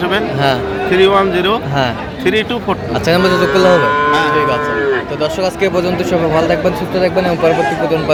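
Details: At a busy Dinajpur cattle market in Bangladesh, Friesian and crossbred bull calves on sale on 15 January 2025 give drawn-out moos, one long steady call in the middle, with people talking throughout.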